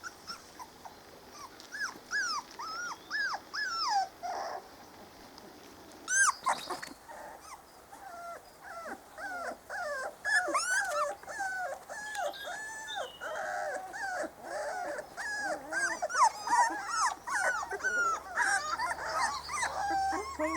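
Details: Four-week-old Spanish Water Dog puppies of Trella's 2013 litter exploring the garden for the first time, whining and whimpering in overlapping, high, bending cries that grow busier and louder, with a brief growl-like burst midway.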